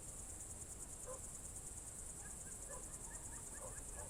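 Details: Crickets on a June 2023 evening in the Novye Buregi tract, Novgorod Oblast, Russia: a steady, shrill, finely pulsing high chorus with no break, while faint short whistled notes rise and fall far below it.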